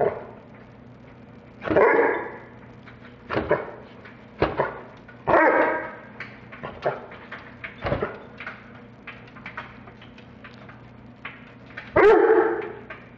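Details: American Bulldog cross indoors, playfully amused while its owner does laundry: a few short, throaty barks and whiny yips spread over the clip, mixed with thumps and rustling of handled clothes.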